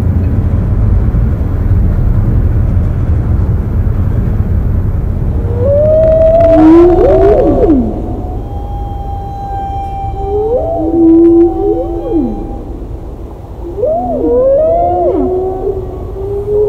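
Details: Humpback whale song from Roger Payne's unretouched recording, played within Alan Hovhaness's 1970 symphonic poem. Low rumbling background comes first. Then come long moaning tones and looping upswept and downswept cries that repeat in phrases.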